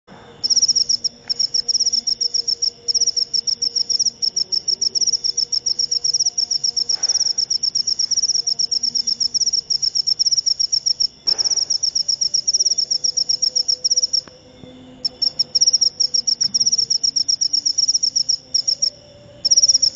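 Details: Cricket, locally called jangkrik upo, giving a long, rapid train of high, shrill pulsed chirps. The train pauses briefly near 11 seconds and again around 14 to 15 seconds. Faint low tones and soft background rumble sit underneath.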